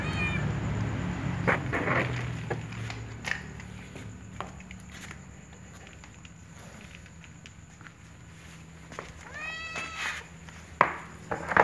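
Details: A little white cat meowing: a brief meow opens, then a quiet stretch of faint clicks and low household hum, before a clear, tonal, rich meow near the end, followed by a few sharp knocks.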